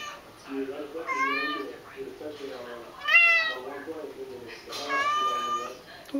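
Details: A tabby house cat keeps up a long song of meows. Soft low murmurs are mixed with three louder, rising-falling wails spread over several seconds, the last one long and wavering, and a sharp sound comes at the very end.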